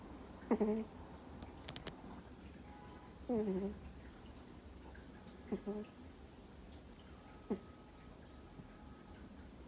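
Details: Sleeping Miniature Schnauzer puppy, two months old, snores in a quiet room. Four brief squeaky snorts come at irregular gaps, the first two sliding downward in pitch, over a faint low hum.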